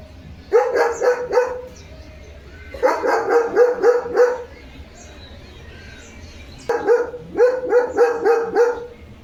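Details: Leo the German Shepherd, alert after his bath, barks in three bursts of about five rapid woofs each, separated by short pauses, with faint bird chirping underneath.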